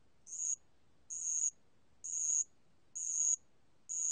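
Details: Bell cricket (알락방울벌레) from a 2020 National Institute of Biological Resources recording: clear high-pitched ringing chirps, each about a third of a second long, repeated roughly once per second with steady rhythm, over a quiet background.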